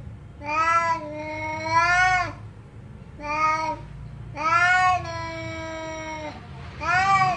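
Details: Cat meowing loudly in five drawn-out, strongly harmonic calls, some long and level and others rising then falling, spaced a second or so apart over a low background hum.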